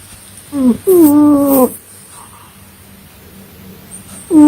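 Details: Domestic cat snoring in its sleep: a short wheezy whistle, then a longer tonal, slightly wavering whistled breath, with another starting at the end.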